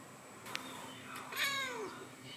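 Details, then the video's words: Black-and-white male cat, twelve years old, giving his thin voice: one short falling meow, squeaky and harmonic-rich, preceded by a faint click and soft breathy sound. ""Thin Sound" of My 12 Yrs Old Cat"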